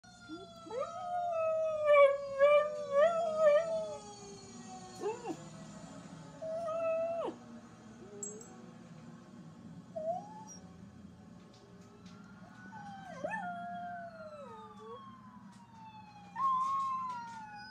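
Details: One-year-old rescue dog, a Chihuahua, pit bull, German Shepherd, Jack Russell terrier and rat terrier mix, howls in response to passing fire truck sirens. Wavering, warbling howls with rich overtones come in bursts over long, slowly falling siren tones.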